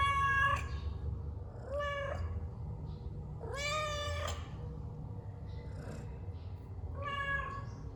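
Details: Domestic cat meowing repeatedly, with four strong, rich, slightly rising then falling cries and a faint one between them, each under a second long and about two seconds apart, over a low, steady room hum.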